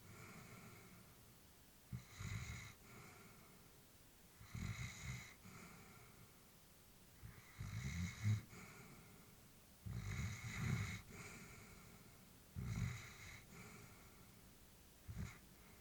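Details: An elderly female Labrador Retriever sleeping peacefully indoors, breathing in soft snoring rhythm: low rumbling inhales with airy hiss, about one breath every two to three seconds, quiet small-room background.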